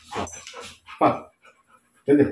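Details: An excited Labrador Retriever, worked up by a tug-of-war game, gives two sharp, loud barks on cue during bark-on-command training, with the trainer's voice between them.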